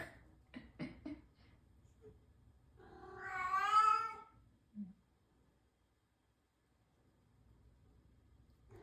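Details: A crybaby new cat produces one long, strained meow that swells and rises before trailing off, preceded by soft tapping noises and followed by a short low grunt and quiet.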